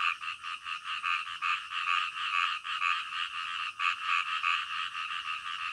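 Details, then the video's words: Frogs croaking in the middle of the night, a calming nighttime nature sound; dense overlapping chorus of short pulsed croaks, two stacked bands, rapid beats repeating several times a second with steady background hum. "SUARA KODOK DITENGAH MALAM"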